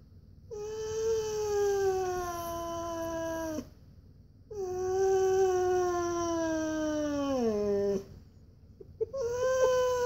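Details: Koa the Siberian Husky whining softly indoors because he really wants to go on a walk; long sustained tonal whines that drift gradually lower, with brief pauses between them.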